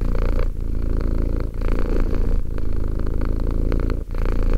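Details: Two-year-old domestic cat purring indoors: a continuous low rumbling purr with a steady fine pulse, broken by brief pauses for breath about once a second, each breath phase slightly different in tone.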